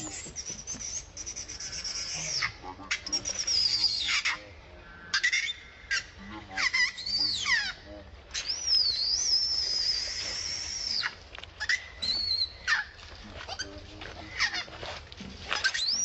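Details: Vixen, a wild monkey living around Angkor Wat, crying angrily: a series of shrill, wavering screams that rise and fall high in pitch, broken by short pauses, with some bursts sharply bent and others held longer.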